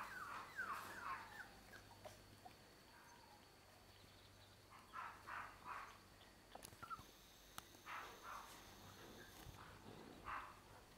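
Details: Six-week-old American Cockapoo puppies with their mother Tancie, playing on grass in an orchard for the first time: high, falling yelps and squeaky whines in scattered bursts, some overlapping, with light outdoor background noise.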